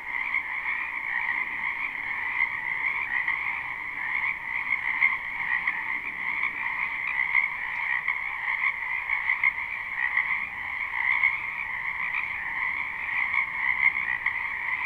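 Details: Spring wetland frogs chorusing, recorded live with no looping: a loud, even, uninterrupted mass of high trilling croaks with slight pulsing in volume and little else heard.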